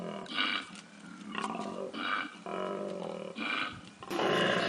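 A koala gives its bellow, a series of harsh, throaty pulses that swing between snore-like intakes and rumbling, belching outbursts. The bursts come roughly every second, rough and growly, with no other clear sounds behind them.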